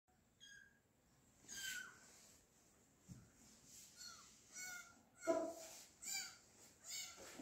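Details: Fifteen-day-old kittens giving thin, high mews with faint harmonics. The short calls are repeated irregularly, several within a few seconds, over a quiet background with soft low rustling.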